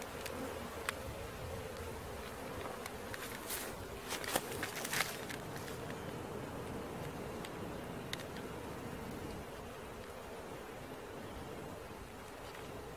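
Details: Continuous hum from a honey bee swarm as it is collected, with a cluster of sharp clacks and thumps near the middle before the drone settles again.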